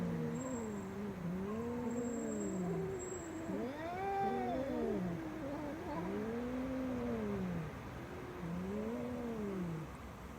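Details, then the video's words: Domestic cat producing a series of low arched moaning yowls, roughly one every two to three seconds, one pitched higher in the middle, with faint high whistling tones and a steady background hum. "Funny Sounds Cats Make"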